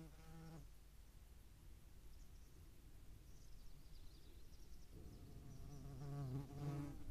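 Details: European hornet in flight at a feeding spot in Dohr, Eifel, 11 July 2022, with median wasps present: a short low buzz fades out, quiet follows, then a louder droning buzz returns and swells.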